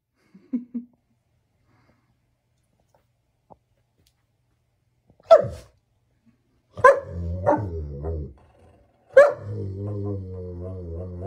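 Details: German Shepherd dog, silent at first apart from a faint brief yelp, then four abrupt barks in the second half, the last sliding into a long, wavering, harmonic howl-like moan.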